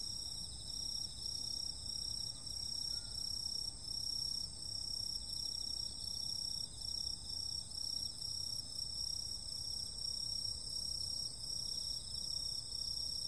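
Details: A chorus of insects on a summer night: thin, piercing high tones held without a break, a rapidly pulsing buzz below them, and loudness that throbs in quick regular beats under a gentle low background noise.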